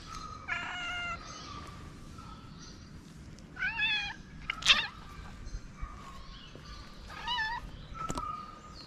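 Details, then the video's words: Homeless street cat in Morocco coming up to a person with meows: three clear, harmonic, slightly wavering cries spaced a few seconds apart, plus a couple of sharp clicks and faint background outdoor noise. "The cat that came to me with a meow"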